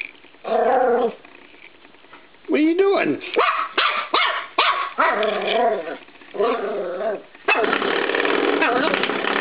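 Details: Indoors with a spring door stop, 13-week-old Norfolk Terrier puppy Cisco makes wavering whiny growls and a few sharp barks, ending with a long rattling buzz from the spring.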